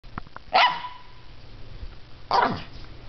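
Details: Female Scottish Terrier in her doggy bed gives two short, sharp barks about two seconds apart, each a harsh burst that drops quickly, with a steady low hum in the background.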